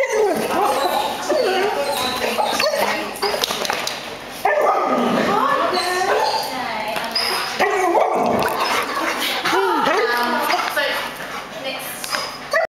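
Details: A black Labrador Retriever yips, whines and gives short barks in excited greeting when picked up from daycare, over people's voices and clapping.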